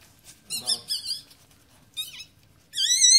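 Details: Newborn Yorkshire Terrier puppies just delivered during their mother's birth, giving thin high squeaks and squeals in short bursts, the last a longer wavering cry, in a quiet room.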